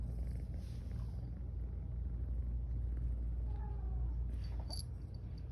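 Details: Close-up steady rumbling purr of the drowsy female cat Garfy, yawning as she rests, unbroken throughout with a faint high squeak near the end.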